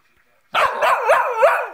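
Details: Told off and warned it is in trouble, a Cockapoo answers with a long, warbling, talking-like vocalisation of repeated rising-falling wavers, loud and close indoors.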